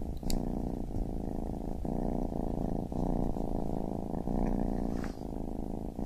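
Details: Low throbbing purr of a baby kitten, broken into breathing cycles by brief dips about once a second, with a couple of faint clicks.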